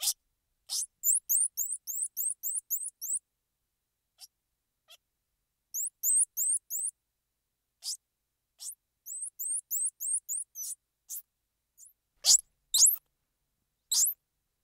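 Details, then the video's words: Squirrel monkey uttering rapid runs of sharp, high, rising chirps, about eight per burst, in several bursts. Later come scattered louder squeaks and a couple of faint ticks. Quiet background. "Squirrel Monkey Sound"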